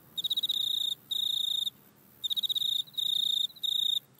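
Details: Back-yard grasshopper captured on an iPhone, giving high, thin, tonal trills in bursts of about half a second, separated by brief pauses, over faint background hiss.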